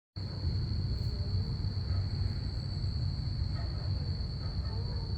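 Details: Crickets on a Saturday night give a steady, high-pitched continuous trill over a deep rumble of passing aircraft.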